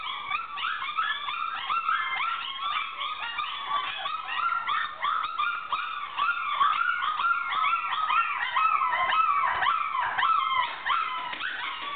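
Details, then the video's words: Loud calling by a litter of puppies four weeks old, with a dense continuous din of high-pitched whimpers, wavering howl-like cries and quick yips overlapping without pause, rising and falling in pitch. "Loud noises by puppies 4 weeks old"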